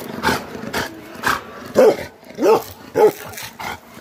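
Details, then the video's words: Aggressive Bakarwal guardian dogs: rough noisy bursts at first, then three clear, loud, deep barks spaced about half a second apart, each arching in pitch, followed by quieter rasping sounds. "Aggressive bakerwali dogs"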